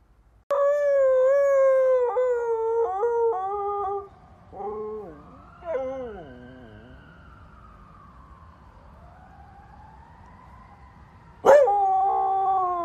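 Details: A dog howling, from a compilation of dogs and puppies howling like wolves: a long wavering howl, then broken falling notes, a fading tail, and a final loud howl starting abruptly.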